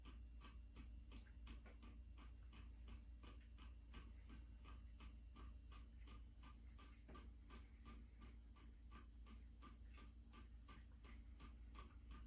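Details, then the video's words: A black American Shorthair cat named Midnight laps water from a turned-on bathtub tap, recorded January 21, 2023. Rapid, fairly even tongue clicks, nearly three per second, sound throughout over continuous faucet flow in a small room. "Cat drinking water sounds"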